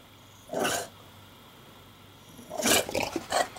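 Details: Porkchop, an English Bulldog, barking and growling at the camera while nesting in laundry indoors; one gruff bark, a pause, then a rough burst of several barks and growly snorts.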